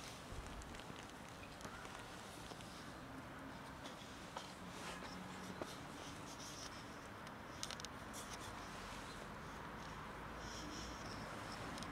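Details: Steady indoor noise with light patter and footstep-like taps, and no animal call.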